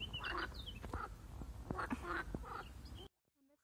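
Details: Marsh frog, attacked by a grass snake, utters a few coarse, rattling, duck-like croaks in quick succession over three seconds, ending in abrupt near-silence.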